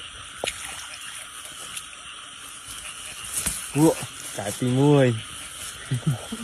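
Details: Frog heard on a rainy-season frog hunt: a short low croak followed a second later by a longer arched, nasal croak, with a continuous shrill insect drone, soft splashing and brief speech.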